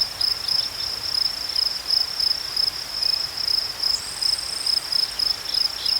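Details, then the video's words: Crickets chirping in a steady high, thin pulse train, short chirps repeating about three times a second without pause, with a second fainter caller joining higher up near the end over soft background hiss. "Crickets chirping sounds"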